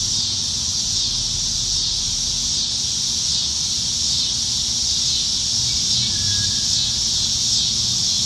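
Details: Chorus of cicadas in Nebraska treetops on a summertime evening in July 2019, a season of abundance: unbroken shrill buzzing wall of sound, slightly swelling and fading, over a soft low hum.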